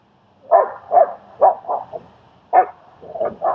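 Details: Barking during a dog training and socializing session in Queens, New York, where German Shepherd Strike helps a shy dog, Leonidas. A series of short, harsh barks, about seven in quick irregular bursts, with brief pauses between them.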